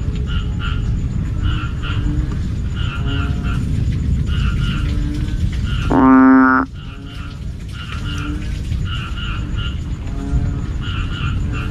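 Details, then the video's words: Evening call of a banded bullfrog, a chorus blamed for sleepless nights: a single loud, low, nasal moan of about half a second midway, set against constant low croaking and rhythmic double chirps repeating roughly every second. "Tiếng Ểnh Ương Kêu Buổi Tối"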